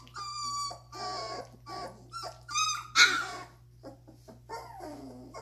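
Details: Young Doberman puppies at two and a half weeks old whimpering in a small room: drawn-out tonal whines, a sharper squeal near the middle, then fainter bent whimpers over a constant low electrical hum.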